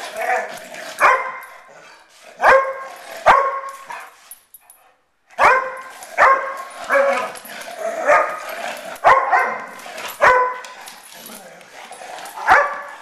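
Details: Fighting poodle barking in a rapid series of sharp, harsh barks about once a second, broken by a brief silent pause near the middle before the barking resumes.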